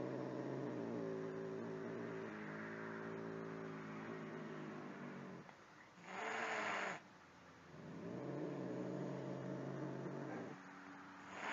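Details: Angry house cat in a compilation of angry cats, uttering a long low moaning growl that wavers in pitch, interrupted by a sharp hissing burst midway before the drawn-out growl returns.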